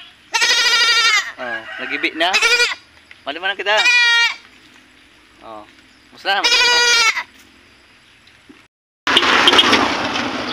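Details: Pregnant goat on a farm in San Vicente: four loud, wavering, tremulous bleats, each about half a second to a second long and separated by pauses. Speech comes in between them, and a burst of broad noise follows at the end.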